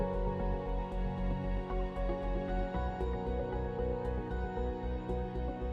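Soft, sustained instrumental music with low, steady tones and no animal sounds.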